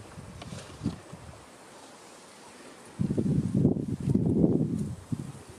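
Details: Adult male lion at Karongwe Game Reserve, South Africa, warning a bored cub that keeps pulling his big black mane; low rough growling bursts rise after a quiet stretch and rumble on for about two seconds, with wind and rustling.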